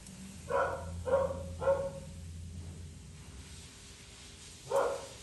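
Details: Poodle mix being groomed gives three quick, high, sharp barks in a row, then a pause and one more bark near the end, over a low steady hum.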